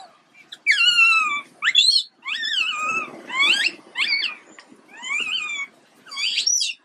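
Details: A poorly baby monkey named Quinton wails repeatedly: long, rich, harmonic cries that waver and fall in pitch, six separate bouts with short silent gaps between them.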